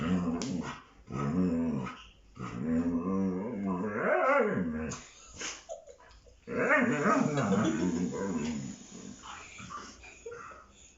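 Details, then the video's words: Siberian Husky growling and grumbling in bear-like vocal bursts while play-fighting with a child indoors; rough, harmonic growls rise and fall in long runs separated by short pauses, with some whining inflections. "Husky does funny sounds like a bear when play fight."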